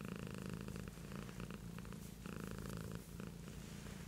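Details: Beatrice, a pet cat, purring steadily: a low rumbling drone with a pulsing texture, swelling and easing in alternating inhale and exhale phases roughly every couple of seconds, close and continuous with no other sounds.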